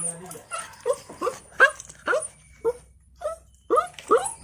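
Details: Puppy giving a run of short high yips and whimpering barks, each rising then falling, spaced about every half second with brief quiet gaps between.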